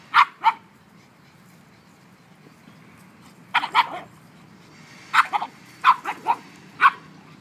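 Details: Two pugs and a one-year-old mastiff at play yield sharp, yippy barks, first a pair, then another pair, then a scattered run of five or six short yaps.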